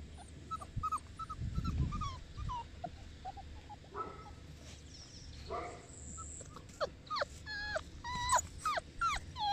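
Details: Enzo, a Boerboel dog from Mastiff Hub Egypt, gives a run of high, thin whimpers and whines in quick, uneven succession. Some notes bend sharply up or down, and soft low rumbling sits underneath.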